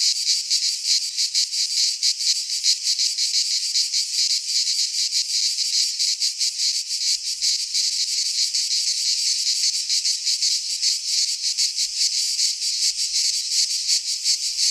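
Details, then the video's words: Greek pine forest in midsummer filled with singing cicadas; a long, unbroken, metallic buzzing drone with fast flickering pulses, faint low rumble in the background. "Cicadas singing in midsummer"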